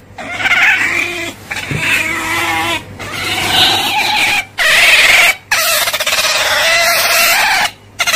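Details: Otter giving rough, strained squealing cries that run for several seconds at a time, with a raspy, buzzy texture and short breaks.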